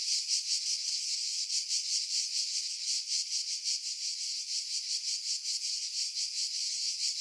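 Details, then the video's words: July cicadas in pine trees at Pefkos Bay, Skiros, Greece, 2018; a softer, high, hissing buzz with rapid rhythmic pulsing that runs without pause, a faint click near the start. "Cicada Sounds, July 2018 Skiros, Greece"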